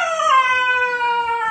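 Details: Four-month-old Siberian Husky puppy refusing to come downstairs and talking back: one sustained, clear, harmonic-rich howl that starts higher and slowly sinks, while the owner keeps calling it down.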